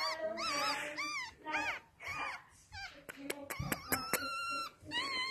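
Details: Two male chocolate Yorkshire Terriers, born April 7, 2018, give high arching whines that rise and fall in quick runs, followed by sharp clicks and knocks indoors.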